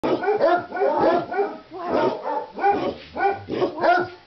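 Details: Several dogs at Christmas, worked up by a leg of lamb cooking in a crockpot, bark in rapid overlapping bursts, about two yaps per second, with harsh, bright tone and no pause.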